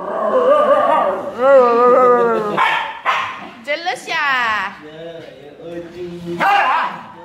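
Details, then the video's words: Jealous female Siberian Husky gives long, wavering whine-howls with harmonic tones that bend up and down, then shorter rising yelps. Breaks of human-like vocal sounds mix in. "Jealous Husky Girl"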